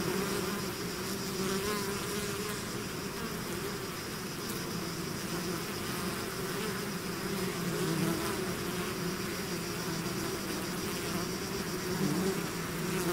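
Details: Many bees swarming out of their hive make an unbroken, layered hum: deep drone tones overlaid with wavering whines as single insects pass close, loudness steady across the whole stretch.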